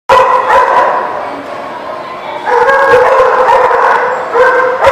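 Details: Several dogs bark together at a kennel lot on 15 February 2019. Loud, overlapping harmonic barks in rapid, irregular bursts form a dense chorus, with a brief dip in volume near the middle.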